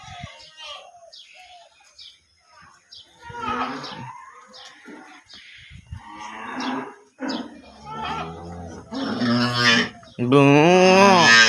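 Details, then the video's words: Cattle at a farm. People talk through most of the recording, then a loud, drawn-out moo with rich harmonics fills the final second and a half. "গরুর খামার,cow firm"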